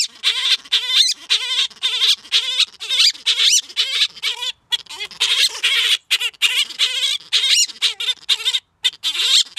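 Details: Gelert, a captive male grey-headed flying-fox, woos the female Diva after rubbing his chin and chest on blankets to scent-mark. Fast series of raspy, squealing chatters with wavering harmonic squeaks, roughly two bursts per second, continuing without pause.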